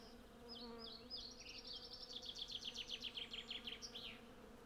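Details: A swarm of hundreds of honey bees works a blossoming cherry tree, recorded on a Zoom F6 with a Sennheiser MKH 8040. The constant droning hum sits beneath a loud, rapid, repeated bird trill that dominates the middle.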